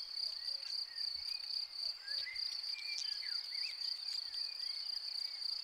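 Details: Field cricket near its burrow gives an unbroken high-pitched ringing trill, with soft twittering and whistled bird calls and faint low rumbles underneath.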